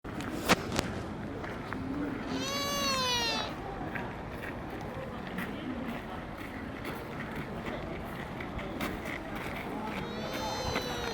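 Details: At Nara Park, Japan, a sika deer gives a high, thin squeak that slides downward, then calls again more faintly later.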